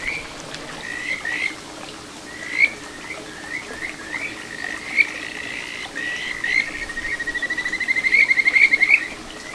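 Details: In a small stream in Ichihara, Chiba, Japan, on 9 June 2022, a Kajika frog gives spaced, upswept whistled notes roughly every half second, then accelerates into a rapid, rhythmic pulsing trill; soft flowing water throughout.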